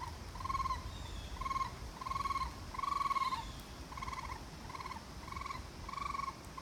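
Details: Raccoon calling with a run of quavering, slightly arched trills, each lasting about half a second, repeated at an uneven pace of about seventy per minute, with quiet low background hum.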